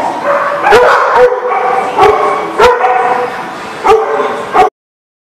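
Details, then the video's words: Several dogs in a barking lot, recorded on 1/3/20, barking and yipping together in a loud, overlapping chorus with sharp barks about once a second, ending abruptly. "The Barking Lot"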